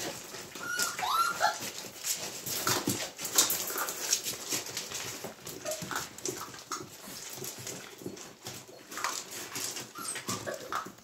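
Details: Hungarian Vizsla puppies, 13 March 2021, working at problem solving; brief high whining whimpers come now and then over constant scratching, tapping and shuffling sounds indoors.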